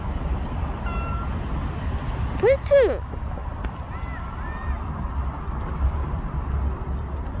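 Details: Bolt, a stray cat that stayed near a family for one year and five months, in its last recording. A single clear meow rises and falls in an arch, set against a steady low rumble of outdoor traffic.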